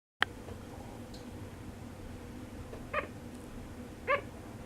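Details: Sugar glider crying while sound asleep: a sharp cry at the start, then two short, nasal, harmonic yips about a second apart near the end, over a steady indoor hum.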